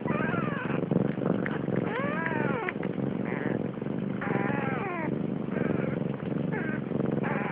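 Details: Siamese cats at Malviken cattery in Sweden, a protective mother with five kittens born 30 October 2011; several drawn-out meows that arch up and then fall, some with harmonics, over a steady low rumbling background.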